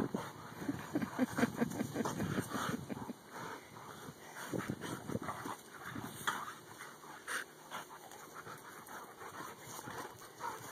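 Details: Best-friend dogs Dakotah and Kobi; loud, low grumbling and panting bursts at the start, then softer breathy sounds broken by sharp clattering spikes, irregular throughout.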